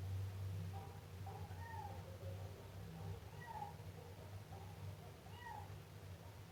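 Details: Siamese kitten giving three thin, arching meows roughly two seconds apart, each swooping up and down, with quieter chirps between and a constant low background hum.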